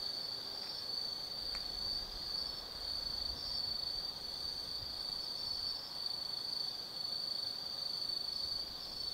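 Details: Autumn night insect chorus in the woods of Tsukimi no Mori, Kaizu, Gifu Prefecture, Japan; an unbroken shrill ringing trill from many insects, over a soft low hum of distant traffic.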